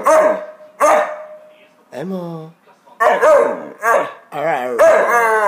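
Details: A female Magyar Vizsla, trying to "talk", gives a string of yowling, talk-like vocalizations, with a woman speaking Czech between them.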